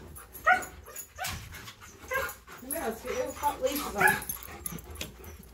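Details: Dogs Tonka and Monroe, excited before bikejoring and unable to sit still while being leashed, let out high wavering whines and yips mixed with a person's voice indoors.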